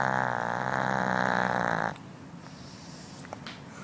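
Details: A Northern dog snores in its sleep: one steady, rasping, deeply layered drone lasts almost two seconds, then stops abruptly, leaving a hushed room with faint ticks.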